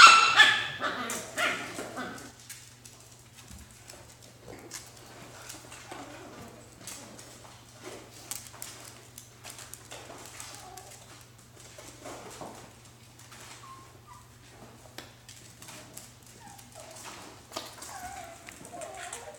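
Alaskan Klee Kai puppies give soft, high yips, whimpers and squeaky barks in quick, irregular bursts.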